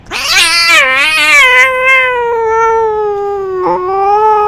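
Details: Cats fighting in a garden: a loud, long, wavering yowl that starts harsh and quavering then settles into a sustained, slowly falling wail, with a brief break before the howl carries on.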